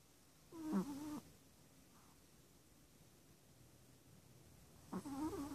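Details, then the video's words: Six-month-old adopted Chihuahua snoring while asleep indoors: two short, nasal, wavering whistle-like snores about four seconds apart, with quiet room hush between them. "Chihuahua - Snoring!"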